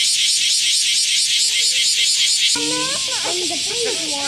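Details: Japanese cicadas, known as semi, buzzing loudly outdoors while being caught; a dense, pulsing high-pitched drone throbbing about twice a second, with a person's voice breaking in over the last part.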